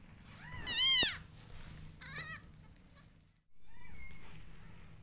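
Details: Newborn orange kitten of street cat Hope crying for milk it could not get; one loud, wavering, descending meow, a softer second meow a second later, then a faint thin call in a quiet room.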